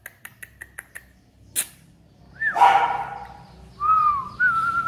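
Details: Dog on a dog farm in Hưng Yên province, Vietnam: quick ticking clicks, then a rough bark that bends downward, followed by two drawn-out thin whines.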